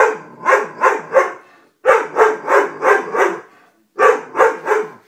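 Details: Dobermann producing three runs of rhythmic, strong barks, three to five in each, roughly three barks per second, separated by brief silent gaps.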